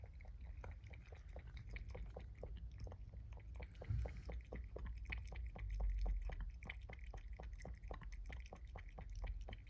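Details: Kittens born in autumn 2022 in Japan, a brown tabby and a black-and-white, eating indoors: steady wet clicking chews about five per second, each a sharp tick over a low thumping background, with a slightly louder moist squelch midway.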